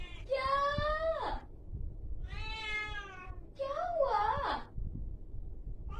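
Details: Angry domestic cat producing three long, harsh, nasal yowls, each around a second long; the first holds steady before dropping, the last climbs and wavers. Low background rumble between calls.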